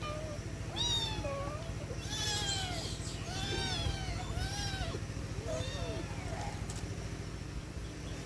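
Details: Domestic cats meowing at feeding time, several arched, wavering meows overlapping in quick succession over a steady low mechanical hum.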